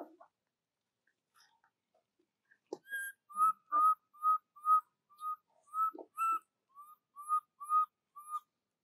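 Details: Baby monkey Jovi crying for her mother Joyce until falling asleep, cared for by Rainbow: a steady run of short, clear, whistled cries at one pitch, repeated about twice a second, after a few scattered soft sounds.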